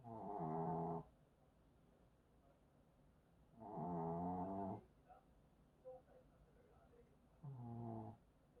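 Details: Sleeping Maltese, full-bellied after sneaking two sausages, snores loudly: three rasping, harmonic snores about every three and a half seconds, each about a second long, with soft faint sounds between them in a quiet room.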